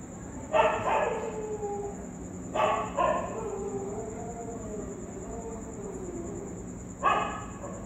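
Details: Street dogs respond to a ghost sound with three widely spaced loud barks, the gaps filled by a drawn-out, wavering whine that slowly falls, all over a steady faint high tone.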